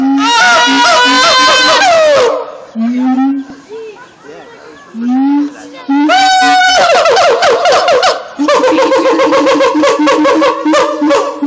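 Siamangs sing in bursts of loud, harmonic whoops and wails that swoop up and down. Between the louder phrases come shorter, lower booming notes.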